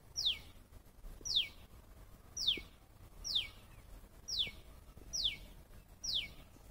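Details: A squirrel gives a steady series of seven piercing chirps, each a quick falling squeak, spaced roughly a second apart over quiet low background noise.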